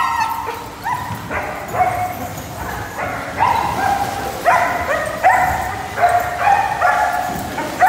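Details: A mixed pack of pet dogs, including Labrador Retrievers, German Shepherds and a Portuguese Water Dog, gives repeated tonal barking howls about once a second. The calls overlap in a steady chorus, each onset sliding upward.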